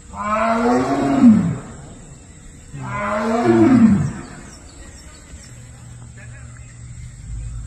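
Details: A tiger in the Tadoba buffer zone, India, gives two deep, moaning calls about three seconds apart, calling to its cubs.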